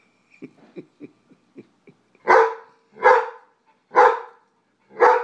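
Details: Jack Russell and White Shepherd pair, Brooks and BJ, at feeding time with nuggets given singly; faint clicking and small sounds lead into four loud, full barks spaced about a second apart.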